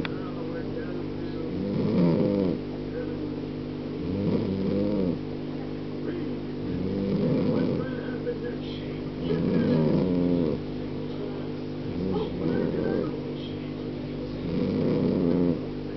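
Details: A sleeping cat named Tiger snores loudly indoors, each rough, rumbling breath swelling and fading in a steady rhythm roughly every two to three seconds, with a faint low hum beneath.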